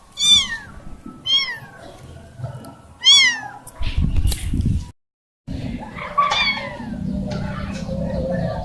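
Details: Young kitten that has lost her family, meowing. Three loud, high, falling meows come about a second apart, then rustling handling noise, a brief dropout and fainter meows.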